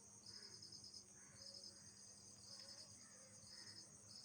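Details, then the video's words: Night-time insects form a dense shrill drone, broken by regular bursts of bright buzzy pulses about once a second. Faint lower chirrups sit underneath. "Original Sound Effects by Nocturnal Insects"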